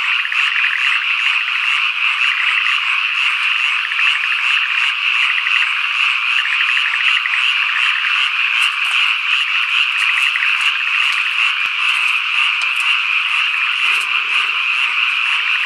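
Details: Summer evening and night in the countryside of Ikusaka village, Nagano, Japan: cicadas, including higurashi and niinii-zemi, keep up a dense, shrill buzzing chorus with pulsing, rattling trills, alongside wild birds and frogs.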